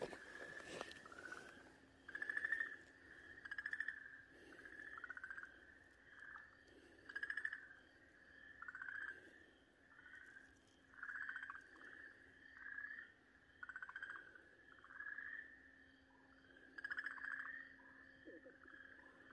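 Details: Okinawa green tree frog caught by a Pryer's keelback snake, 4 March 2023, letting out repeated short nasal wails roughly every second or two over a steady low hum, with a sharp knock at the start.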